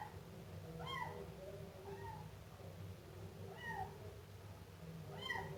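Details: Siamese kitten meowing: high, arching mews with clear harmonics, a few spaced calls about a second apart over a steady low hum.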